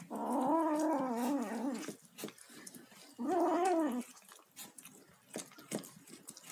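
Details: Kitten, tagged as tabby, making noises while eating: two drawn-out, wavering harmonic moans, the first nearly two seconds long and the second about one second, separated by chewing clicks and smacking.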